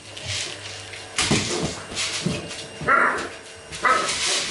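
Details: Golden retriever puppies of the C litter during training with acoustic and optical stimuli: soft muffled yelps and snuffles, then two short, clear whining cries about a second apart near the end, with rustling and handling noise throughout.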